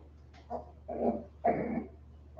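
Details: Westie puppies aged 47 days, back inside after an outdoor break: a few short, rough, grunting growls in quick succession, harsh and mid-pitched, over a constant low electrical hum.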